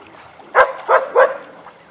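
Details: Weizsla dogs Biscuit and Jericho at play in their den, giving three quick, clipped barks in rapid succession within under a second.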